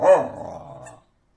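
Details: A whippet told to speak gives a single low, growly bark lasting about one second. It starts loud and harsh, then trails off into a quieter falling rumble in a small indoor room.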